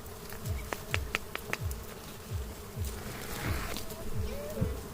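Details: Honey bees from a wild nest beside a house, giving a steady low hum that runs unbroken through the clip, with repeated low thumps and sharp clicks of handling over it.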